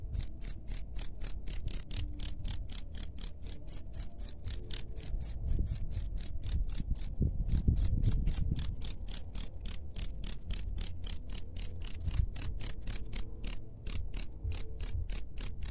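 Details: Cricket chirping as a rat deterrent: a long, steady series of piercing high pulses near four per second, briefly interrupted around seven seconds, with faint low background noise.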